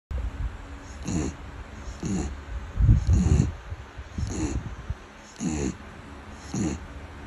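A beagle snores in low, rumbling, rattling breaths that repeat about once a second.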